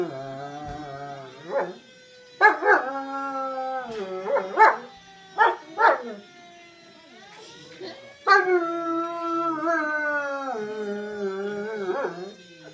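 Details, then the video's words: Family German Shepherd howling in response to a passing fire truck siren, a dog that reacts to any emergency vehicle. Long wavering howls alternate with short yelping bursts, and a rising siren tone runs beneath. "German Shepard howling at a fire truck siren"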